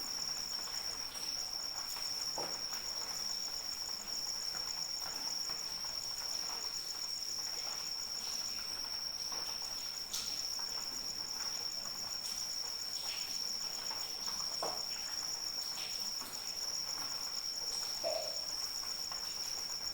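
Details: A continuous shrill cricket trill holds one high pitch for twenty seconds over a bed of gentle, steady rainfall with scattered louder drips.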